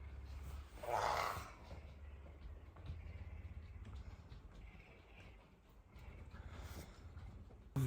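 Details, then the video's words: A pet puma named Messi purrs insistently at dawn, hungry and demanding to be fed; a continuous low vibrating drone fills the recording, interrupted early by a brief human voice and some rustling. "Громкое мурчание голодной пумы"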